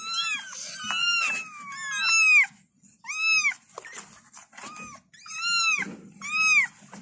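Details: Several kittens meow for their mother in loud, high, arched cries, some drawn out and sliding downward, others short and clipped, coming in quick overlapping bursts with a low background hum.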